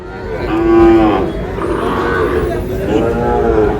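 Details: Sahiwal cattle, bull and heifer calves being bought by a Barishal farmer on 19 August: two drawn-out, harmonic moos about two seconds apart, the first steady and level, the second slightly rising, over a murmur of voices.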